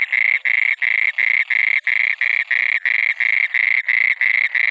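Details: A frog, possibly at night near water, croaks in short, buzzy rasps, about three each second, steady and even in pitch.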